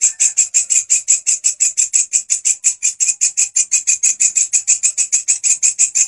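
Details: Grasshopper singing loudly and continuously as master sound for canary and other songbird training; a rhythmic chain of shrill, scratchy pulses, slightly less even than usual, running about five per second without a break.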